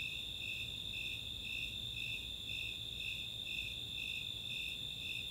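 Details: Nighttime summer chorus in Boulder, Colorado's Chautauqua open space: Snowy Tree Crickets give regular high chirps about two each second while Four-spotted Tree Crickets hold an unbroken trill above, with faint low background hum.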